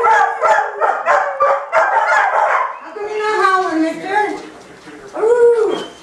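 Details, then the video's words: Pet dogs howling together inside a house, one starting and the others joining in; choppy, harmonic yelping bursts give way to long, wavering, overlapping howls, closing with a single rising-and-falling howl. "Howling Dogs in the House!"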